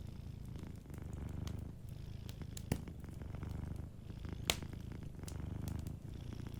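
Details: Soft, steady purr from a sleeping cat, a low vibrating hum rising and falling in slow breath cycles, with occasional snaps of a crackling fireplace.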